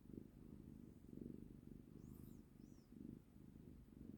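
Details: Cat purring contentedly in someone's arms, soft low rumbling pulses repeating in a steady rhythm, with a couple of faint high chirps in the background.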